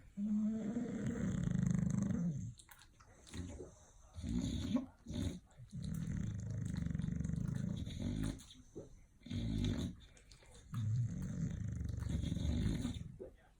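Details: Bulldogs asleep, snoring loudly in long, deep, rasping breaths that come roughly every two to three seconds, each a grinding low rumble broken by short quiet gaps.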